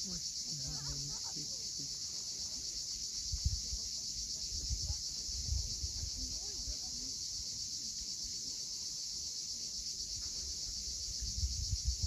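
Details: On the Cape Fiolent coastline in Crimea at sunset, cicadas hold a steady shrill drone. Low rumbling surges, stronger here, rise and fall beneath it, with faint chirps near the start.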